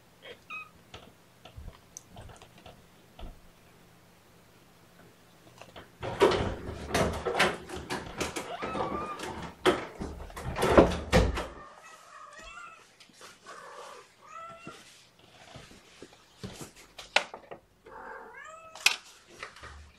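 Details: Morning syringe feeding of kittens held in a lap, 8 May 2018: several seconds of loud clattering and handling, then a series of thin, short, arching mews, some overlapping, repeated over the final eight seconds.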